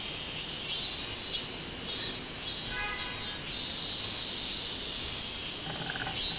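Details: Robust cicada (minmin-zemi) recorded 24 July 2016, giving a few high, buzzy pulsed phrases that swell and fade against a continuous shrill insect hum.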